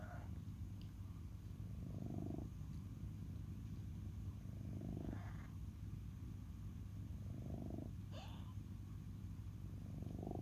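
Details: Pet cat purring in a low, even drone, breath cycles swelling about every three seconds, with faint higher clicks and rustles over the rumble.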